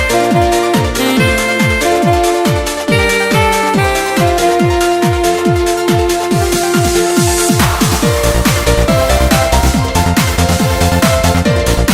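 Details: Loud electronic techno music with a driving kick drum and synth tones throughout, with no animal voice audible.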